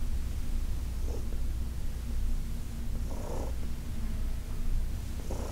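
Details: Purring from Heidi, an elderly shelter-adopted cat, while being massaged in August 2021. A continuous low rumble carries through, lifted by gentle airy breaths at irregular intervals of one to two seconds.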